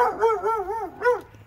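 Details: Dog in Alabama, one of two dogs, giving a drawn-out, wavering howl-like bark that wobbles up and down in pitch, then ends with a short rising-falling yelp.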